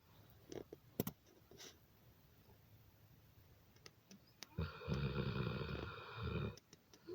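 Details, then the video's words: Sleeping dog snoring indoors: one long, rough, droning breath with stacked harmonics lasts nearly two seconds, with a few soft clicks and rustles before it. "funny snoring dog"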